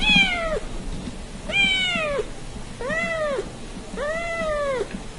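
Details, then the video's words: Domestic cat in a compilation of cats and kittens meowing, giving four clear arched meows about one per second, each rising then falling, with a faint background hum. "Cats And Kittens Meowing"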